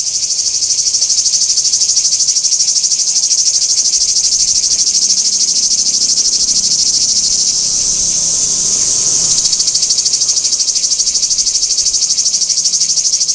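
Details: Singing cicadas at Kardamyli, 2013: a dense, continuous high-pitched buzz with a fine rapid pulse, holding steady loudness throughout and dipping slightly near the ninth second.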